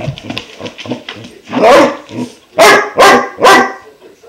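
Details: Five-month-old German Shepherd puppy barking at a new water buffalo horn before chewing it; rapid soft huffs and grumbles, then four loud sharp barks about half a second apart.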